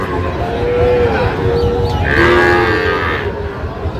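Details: Sahiwal-breed bull calf bellowing at Raniganj market near Gazipur, 7 August 2025. A steady, tonal low moo holds for about a second, then a second call answers. Crowd murmur and trading talk continue behind.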